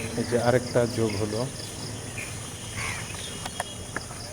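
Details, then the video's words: Night-time fox calls: a quick burst of wavering, harmonic yelps in the first second and a half, then only constant crickets and faint hum remain. "fox sounds at night"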